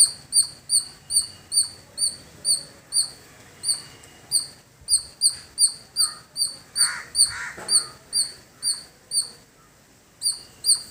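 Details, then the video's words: Squirrel calling in a village setting: sharp, high chirps repeated steadily about two or three times a second, with a brief rougher bird-like call near the middle. "Beautiful Squirrel Making Sound"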